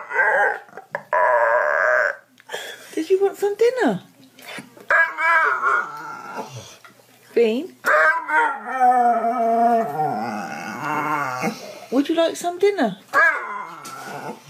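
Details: Dog growling and howling in speech-like bursts, rough wavering moans and sliding tones strung together almost continuously, mixed with human voices indoors.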